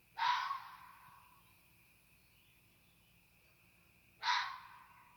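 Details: A coyote on the roof of a parked car in Canada, heard from a deck, gives two harsh, raspy, strange screeching barks about four seconds apart.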